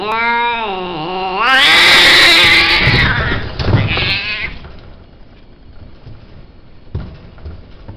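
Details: Himalayan cat offered for sale. A clear, tonal meow opens, dipping then rising again over about a second and a half. A loud, harsh noisy burst follows and drowns it, then the sound fades to faint background with a single knock.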